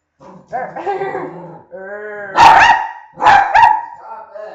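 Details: During a barking contest, voiced whining sounds lead into two loud, explosive barks about a second apart, followed by softer tonal sounds.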